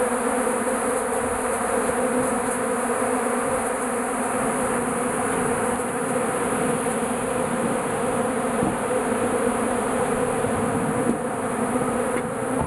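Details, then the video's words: A mass of bees inside a shed, drawn by melting beeswax; a steady, even swarm hum lasts the whole stretch, many wings blending into one drone. "Bees in my shed!"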